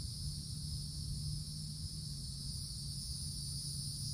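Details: Summertime cicadas calling in a wooded forest canopy: an unbroken, even, high-pitched buzzing hum holding at a constant level, with a faint low-pitched background rumble.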